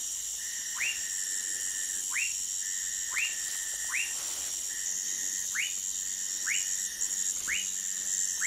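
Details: Sphaenorhynchus lacteus, the Orinoco lime tree frog, in Manaus, Brazil: eight brief rising chirps repeated roughly every second, set over continuous high-pitched insect droning and a steady whistled background tone.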